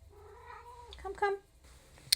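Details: Pet domestic cat meowing for attention indoors, a drawn-out wavering meow followed by a shorter sharper one, with a woman's soft voice and a brief click at the end.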